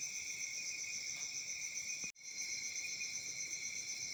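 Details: Crickets chirping on a peaceful summer night in Africa: a dense, steady high-pitched trill in continuous bands, broken by one brief sudden dropout near the middle before the chorus resumes unchanged.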